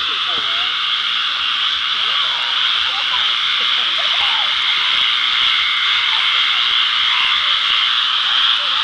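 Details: Frog chorus on July 4th: a dense, unbroken, high-pitched trilling wash that holds steady throughout, with faint human voices underneath.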